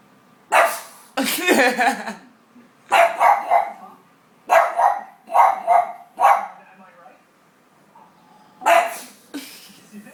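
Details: A pug barks at a window, giving a run of short, hoarse barks; after barking it sneezes in reverse, a snorting sneeze breaking in between.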